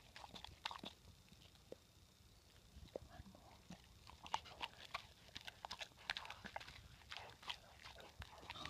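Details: Loud, crisp crunching from a female Rottweiler eagerly eating healthy snacks, with bright snapping clicks scattered unevenly through the clip. Between the bites there are softer smacking and wet mouth noises.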